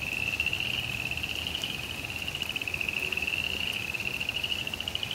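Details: In a suburban backyard during cold rain, frogs keep up a continuous high buzzy trill with fast pulses, slightly rising toward the end, while steady rain patter and a few faint clicks fill the background.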